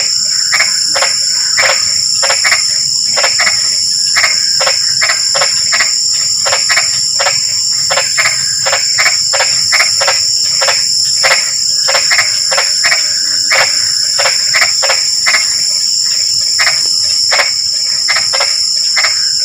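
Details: Frogs croaking during drizzling rain, many short rasping calls in irregular bursts, sometimes closely doubled, over an unbroken high insect drone throughout.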